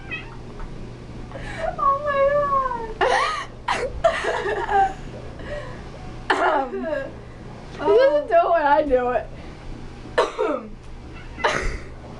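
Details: Female domestic cat indoors, scolding people because she dislikes coughing and sneezing; loud, drawn-out wavering meows, some rising then falling, come in bursts between people talking and laughing close by.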